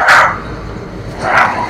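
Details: Leon, a nearly two-year-old Husky, at a Valley Village, California boarding home on his first morning among other dogs; two loud, brief barks about a second apart, with a muffled steady background between them.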